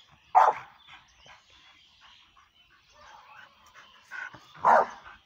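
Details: A pit bull named Kitty, said to be prepared for ring fighting, lets out one abrupt bark, then quieter rustling and soft whimpering noises, and a second strong bark near the end.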